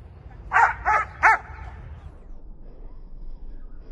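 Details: Young German Shepherd named Yuri, six and a half months old, during a frisbee, obedience and tricks session, gives three loud, sharp barks in quick succession within about a second, then quiet background hum.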